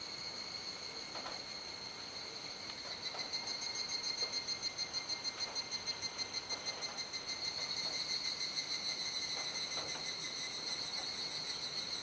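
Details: Cicada chorus at dusk in Kuji, Iwate Prefecture, Japan, 17 July 2017 around 19:11–19:25, rainy season, callers unseen; steady high shrill tones with a fast throbbing pulse that swells louder midway, faint clicks beneath.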